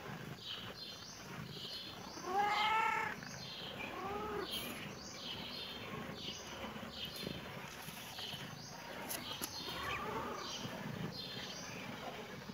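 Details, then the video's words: Kitten meowing in reaction to seeing a camera: two clear, bent, harmonic-rich meows rise and fall near the start, then a softer, shorter meow follows later, over a steady background hiss with faint high chirps. "kitten meowing😺❤️🌹|kitten reaction to see camera"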